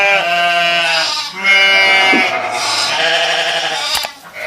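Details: Sheep bleating in a steady run of quavering, nasal calls, each held about a second or more with a wavering tone, nearly continuous with only brief dips between calls.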